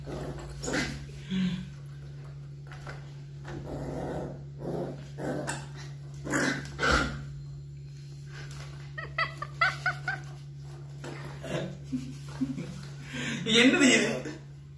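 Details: Labrador Retriever puppies, 45 days old, play-fighting during training indoors: rough growls and short yelping barks come in irregular bursts, with a quick run of high whiny yelps partway through, over a steady low electrical hum.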